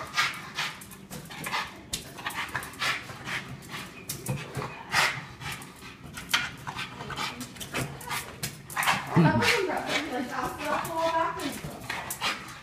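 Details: Boston Terrier at home, excited and playing with a balloon, recorded on an iPhone 5S: rapid panting and scuffling, a rising whiny whimper near the end, a person's voice in the background.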